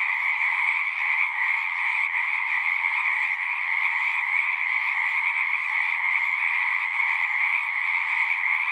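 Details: Continuous massed frog song, many callers blending into an uninterrupted trilling hum with a strong high band and a fainter lower band, even in volume.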